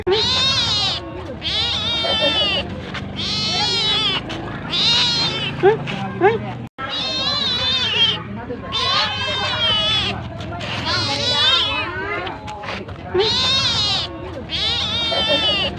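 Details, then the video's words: Domestic cat asking for food: a steady run of long, high, strained meows, each about a second long, following one another with barely a pause and at times overlapping as if more than one voice. "Suara Kucing Minta Makan"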